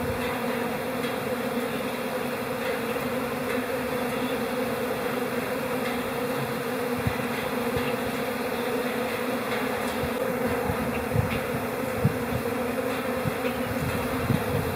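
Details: Calm honey bee colony in April spring, giving a steady, dense droning hum with strong low bands and faint crackling flecks throughout, level and unbroken.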